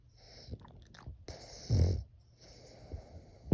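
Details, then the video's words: French Bulldog snoring in a way that sounds human: one rough, low, rumbling snore swells and fades near the middle, framed by quieter breathy wheezes, soft clicks and a sharp tap at the end. "코골이가 사람 같애"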